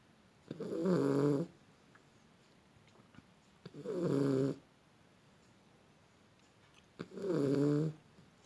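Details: Beagle dog snoring while asleep indoors: three rough, rumbling breaths of about one second each, spaced roughly three seconds apart, with a fluttering buzzy texture and quiet pauses between them.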